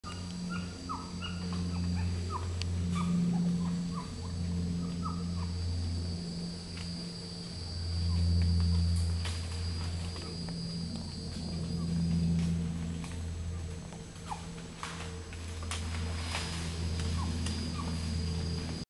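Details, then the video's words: Group of howler monkeys crossing a path on Barro Colorado Island, an island in the Panama Canal, Panama; deep, droning roars that swell and fade continuously, with scattered short bird chirps above. "Howler Monkeys on BCI"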